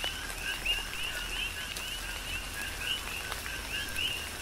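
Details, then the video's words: Coqui frogs on the Big Island of Hawaii call through tropical rain, a few clearer rising chirps standing out from a softer chorus of overlapping calls, with hissing rain and scattered drops. "Tropical Rain & Coqui"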